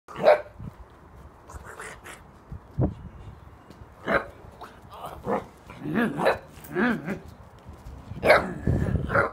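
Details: Six-week-old Tibetan mastiff puppies playing and barking deep; short scattered barks and yelps of varying pitch, some overlapping, with quiet gaps between bursts.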